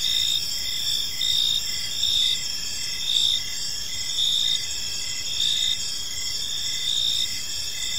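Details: Crickets in a park during the evening, a steady high-pitched insect chorus with rhythmic chirps about once per second over a constant shrill drone, light low-frequency background noise.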